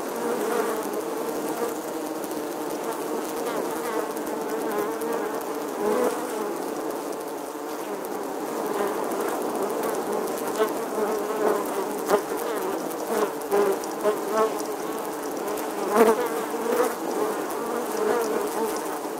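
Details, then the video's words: A colony of honey bees in the stonework of an ancient church wall in England, August 2020, giving a thick, unbroken buzz of many insects, with a few louder passes of single bees near the end. "Bee Hive, Bees Captivating Footage from an Old English Church Wall. Bee Sounds"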